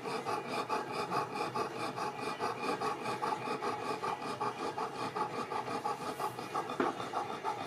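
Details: Overheated Boerboel mastiff Yzer panting on a very hot day while trying to sleep; quick, regular raspy breaths around two per second, with a brief knock near the end.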